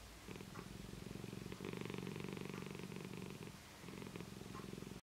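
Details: Happy Siamese cat having its face tickled, purring in a deep, even rumble of fast throbbing pulses that fade briefly near the start and again toward the end before resuming, then cutting off abruptly.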